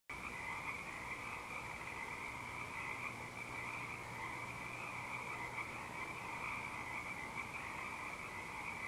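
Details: Frogs in full night song at Eaglecrest on 19 March 2012, with an owl hooting in the background; a dense, unbroken chorus of many callers forms steady buzzing bands throughout.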